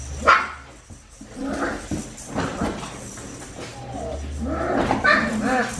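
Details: Four-week-five-day-old Australian Shepherd puppies from Winnie's litter on a farm, caught on a baby cam: short high whines rise at the start and again near the end, over muffled low background murmur and soft shuffling.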